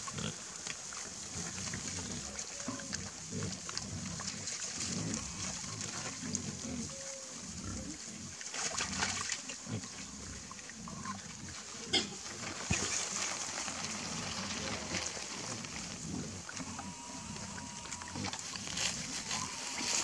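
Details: A group of wild boar interacting near a pond grunt and snuffle in low, rough bursts amid steady background hiss.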